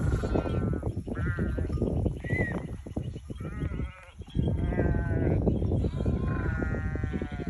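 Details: A flock of sheep bleating together, overlapping wavering calls rising and falling in quick succession, a dense chorus of several animals close by with steady low rumbling background.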